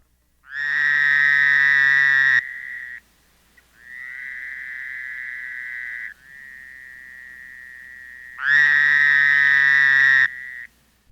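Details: Fowler's toad (Anaxyrus fowleri) in Illinois gives its call, a prolonged, nasal, buzzy bleat repeated in long drawn-out bursts; it breeds in temporary pools, ditches and shallow pond margins, favouring sandy areas and stream margins.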